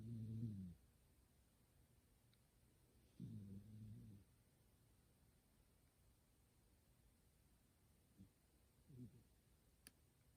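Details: Sleeping pet cat Kuma-tan snoring indoors; two low rumbling snores early on, then fainter short breaths and a faint click near the end in a quiet room.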